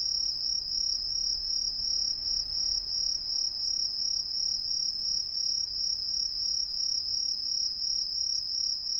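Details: Many green tree crickets heard everywhere in street trees of an Ehime residential area, Japan, an introduced species staying hidden above: a sustained high-pitched shrill trill, gently throbbing in a steady rhythm, over a faint low hum.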